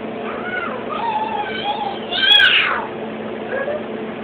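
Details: Blue point Siamese cat named Prudence, a pet kept with a boy, gives a drawn-out wavering meow rising into a louder strained cry midway, then a short softer mew, over steady indoor background hiss.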